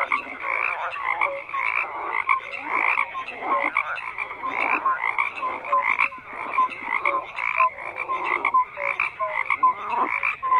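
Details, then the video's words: Dense chorus of croaking frogs, many voices overlapping in bursts, with short tonal notes and raspy pulses layered throughout and no quiet gap between calls. "FROGS CROAKING"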